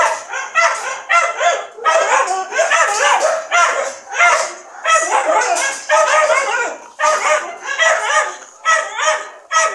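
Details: Dogs yap in clustered bursts of quick, high, ringing barks, separated by brief pauses roughly every second or two.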